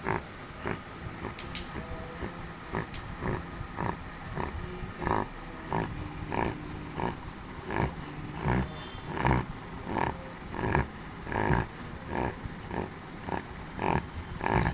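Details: Chotu, a pet Labrador Retriever, snoring in sleep: rough, breathy snorting bursts pulse about once a second with uneven loudness, over a low steady room hum.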